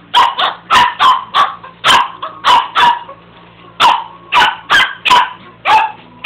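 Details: Domestic dog barking at a carpet sweeper, delivering rapid, forceful barks in close bursts of two or three, a brief pause mid-way, then more barks, with a constant low machine drone underneath.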